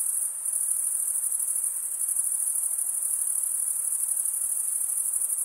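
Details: Unbroken shrill chirping from male crickets scraping their wings together, a dense, high, evenly pulsing trill without pauses, over a faint low background hiss.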